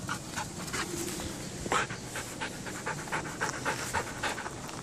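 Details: Belgian Malinois, a breed bred for herding and now used as police and military dog, panting in quick rhythmic breaths, short broadband puffs about three per second, with faint background noise.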